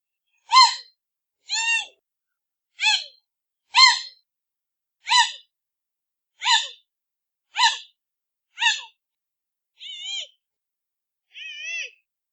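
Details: Giant panda cub calling: ten short, harmonic, nasal squeals, each sliding slightly downward, given roughly once a second, the last two softer and thinner; no other sounds.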